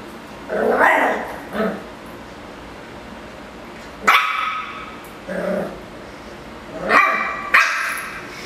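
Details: Miniature schnauzer barking angrily at a Yakult pot indoors: sharp, harsh single barks near four and seven seconds, with softer grumbling, voice-like sounds in between and quiet gaps.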